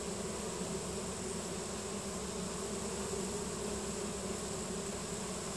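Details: A honey bee swarm streams into a new home as the bees release nasanov pheromone; an even, unbroken droning hum, low and full, holds without pause from start to finish.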